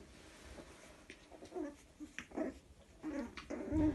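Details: A litter of Chihuahua puppies, two males and a female, play together, giving small squeaky growls and whimpers in short bursts.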